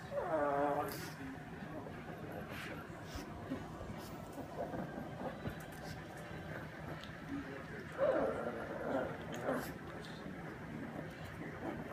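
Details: A female pug named Bambi whining as she eats; a brief harmonic whine opens, then clattering, smacking food sounds, then a second short whine later on.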